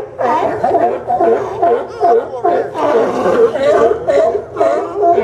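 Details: Sea lions on the Yaquina Bay pier docks in Newport, Oregon, September 20, 2015, give a rhythmic series of gruff, croaking barks, about two or three per second, overlapping from several animals.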